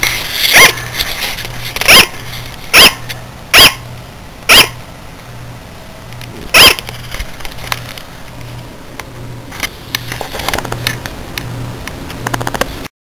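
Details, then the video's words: A sugar glider gives a series of sharp, high, yapping barks, each a short bright bark, a sound it sometimes makes in the middle of the night. "Sugar Glider "BARK""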